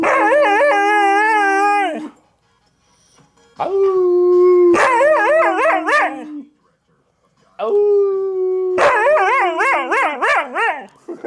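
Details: A pet dog tries to howl in three bouts, each opening with a level sustained tone that breaks into rapid wobbling yodels, with gaps of silence between bouts.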